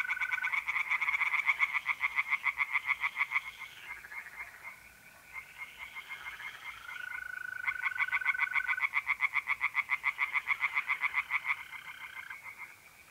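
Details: Tree frogs in a pond on a mid-April night in north-east Italy: long rattling runs of rapid pulses with several frogs overlapping, a brief lull midway, and steady mole cricket trills beneath.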